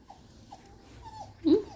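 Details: Puppies whimpering: a few soft, thin high whines spaced about half a second apart, then a louder short squeal near the end, over quiet room noise.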